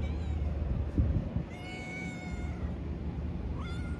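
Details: Stray Siamese mix cat with a Pikachu-like tail, met at a harbour, gives one long, steady meow lasting about a second, then a shorter rising meow near the end, over a low background rumble.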